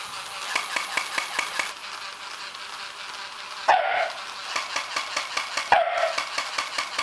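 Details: Shiba Inu facing a toy Shiba Inu for the first time. Two sharp single barks two seconds apart stand out over a steady rhythmic mechanical ticking from the toy.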